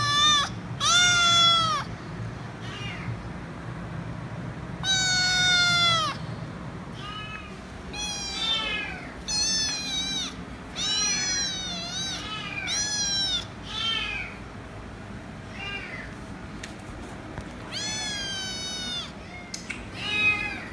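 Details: Noisy kitten screaming for head rubs, a rapid series of loud meows, some long and drawn out, others short and clipped, tumbling together irregularly over a faint low hum.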